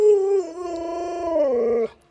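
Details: Luoluo, an Alaskan Malamute kept as a pet, responds to its bedridden sick owner with a sustained howl that steps up in pitch partway through and then cuts off abruptly.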